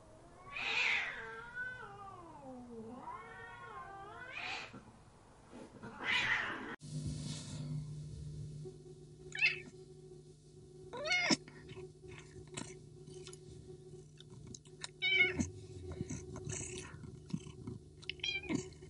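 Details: Street cats fighting as a male Persian cat chases a female who fights back aggressively: long wavering yowls rising and falling in the first seconds, then sharp hisses and short spits over a low steady hum.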